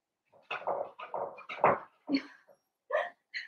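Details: Several Blenheim Cavalier King Charles Spaniel puppies, part of a litter of five born to Paris and Spike, yelping and whining over one another in a dense, continuous jumble of high and low cries indoors.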